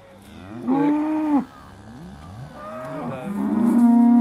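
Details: Aussie Red dairy cows waiting to be milked at Beaulands, December 2012: a moo with a wavering tone, quieter overlapping lowing, then another steady moo building at the end.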